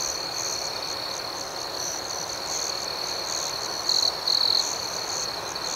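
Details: Crickets at night: a steady high-pitched chorus of chirping crickets fills the background, and a nearer insect gives two short, louder, shrill trill bursts near the end.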